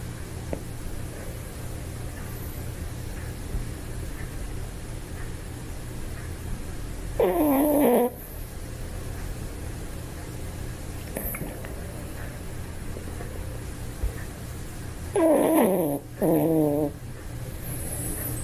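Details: Two short snoring bursts from a sleeping Toy Poodle, about eight seconds apart, slightly whistling and falling in pitch, with long quiet stretches of low hum between.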